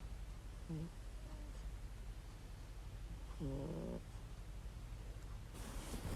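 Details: Domestic cat snoring loudly while sleeping contentedly: two low, rasping, buzzy snore breaths, the second longer, over a steady background hiss, ending in a brief rush of noise.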